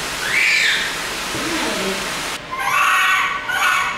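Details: Panicked screams from a baby monkey held in a lab: shrill, harmonic, wavering cries that are loud almost without a break, with a lower wavering sound in the middle and a hissing noise behind.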